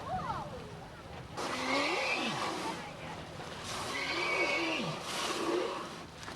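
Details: Humpback whale Colt makes rare blowhole noises beside a boat: two rasping, airy blasts, each with a wavering squeal that bends up and then drops, after a short run of descending squeaky notes at the start.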